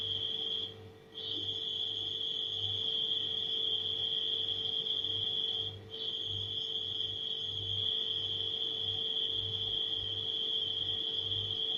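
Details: Nighttime crickets trill continuously at a high pitch, stopping abruptly twice for under a second before resuming, while a refrigerator hums low and pulsing underneath.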